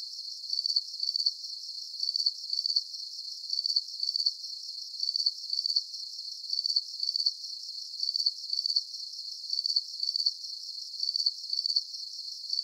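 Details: Crickets chirping steadily: high, shrill pulsed chirps that come in close pairs, repeating evenly about every one and a half seconds, with a faint constant hiss above. No other animals, voices or low sounds.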